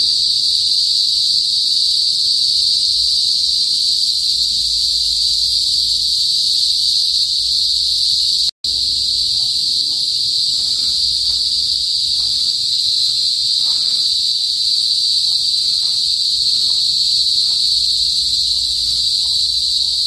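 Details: Loud kuliglig, cicadas of the rural northern Philippines before sunset, keep up a dense high whine; a brief cut interrupts it midway, then the same steady shrill chorus resumes with faint soft pulsing below.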